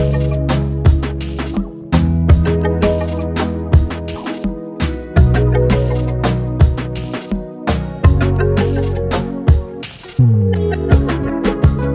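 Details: Plucked guitar and other instruments play a steady, rhythmic melody throughout, with no animal sounds heard.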